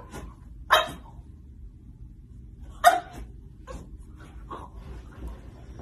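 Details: French Bulldog giving two short sharp barks about two seconds apart, followed by softer grunting yips, indoors with a man nearby praising it as a good boy.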